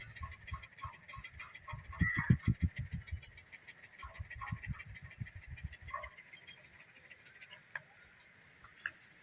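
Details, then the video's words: Dog panting: two bursts of quick, rhythmic, breathy pulses, roughly three to four per second, separated by a short pause, over a steady high insect-like hum. "Sound Of Dog Pant"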